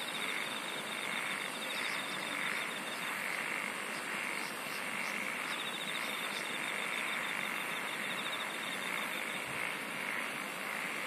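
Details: Insects singing outdoors in a dense, steady chorus: fine pulsed trills high up, a continuous hiss-like buzz, and faint rhythmic chirps, with no pauses throughout.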